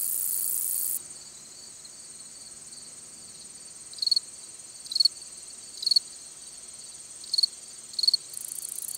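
A long-spurred meadow katydid sings a thin, high buzz broken by brief louder bursts of ticking.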